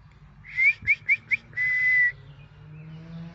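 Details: A 5.5-month-old male Belgian Malinois puppy in a backyard howls at sirens. He gives four quick, high, rising yelps, then one long, thin, steady howl.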